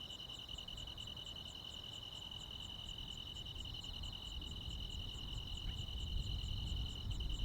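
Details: Midsummer night in rural Korea, crickets and other insects: a sustained piercing trill with rapid even pulses above it, while a low rumbling noise grows slightly louder toward the end.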